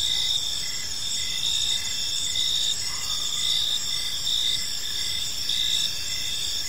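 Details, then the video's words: Park at evening filled with cricket chirping: sustained high shrill trills and regularly spaced short chirp pulses, a brief faint lower sound near the middle, low ambient hum beneath. "Cricket Sounds in a Peaceful Park"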